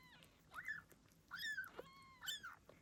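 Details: Freshly born Ragdoll kitten from blue bicolour mother Gambit's litter, Australia: three clear, loud, rising-then-falling mews with bright harmonics, about one every 0.8 seconds, against faint low hum.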